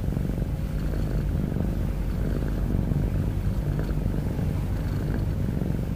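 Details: Heavy-breathing cat snore, a low rattling rumble of rapid pulses that holds at one even volume without pauses for the whole stretch.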